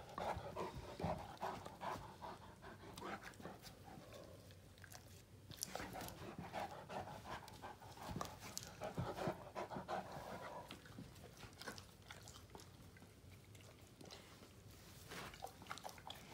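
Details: Two male Great Danes, Finn and Magic, mouth fighting in play, Finn mostly bugging and trying to dominate Magic; rough rhythmic panting with breathy bursts and low grumbling, interspersed with sharp clicks and scuffling.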